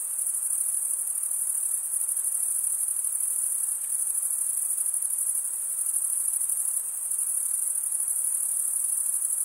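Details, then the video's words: Crickets in a dense, unbroken high-pitched trill with a shrill, steady shimmer and slight pulsing throughout, plus a soft background hiss and no other animals. "cricket sound"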